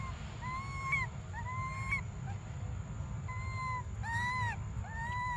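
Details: Desperate cries of baby monkey Briar wanting milk: level, whistled wails that rise slightly and drop at the end, about one per second, with a pause before louder, more bent cries, all over low rumbling noise.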